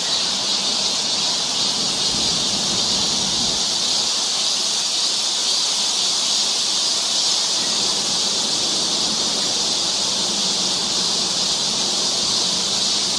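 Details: Cicadas in chorus along a summer forest trail in Seoul, Korea: a dense, unbroken high-pitched hiss and shrill drone holding steady throughout, with a faint low hum underneath.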